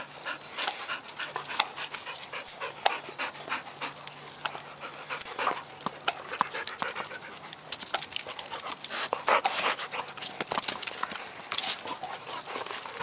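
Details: Ball play with a dog, Ann Arbor pet care setting: continuous quick panting as airy noise bursts, interspersed with sharp clicks, over a faint low steady hum.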